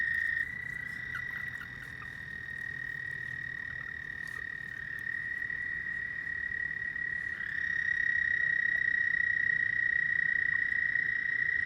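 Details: Nighttime frog chorus: a continuous high-pitched trill that dips slightly quieter early on, then swells louder and shifts a touch in pitch as another caller joins partway through, over a soft low background rumble.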